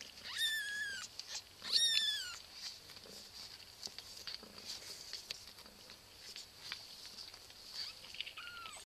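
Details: Cat giving two high, harmonic meows in quick succession, each sliding downward in pitch, then a single lower falling meow near the end, over steady hiss and scattered soft clicks.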